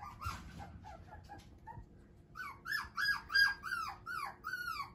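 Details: Male Shiba Inu puppy, sired by a JKC champion, gives a run of high arched whines in its second half, each rising then falling, about three a second, after faint scattered squeaks at the start.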